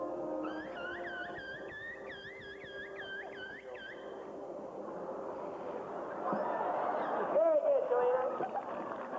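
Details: Captive killer whales (Orcinus orca) at SeaWorld San Diego, in a sound demonstration, give a run of rapid, wavering whistles that rise and fall in quick repeated loops.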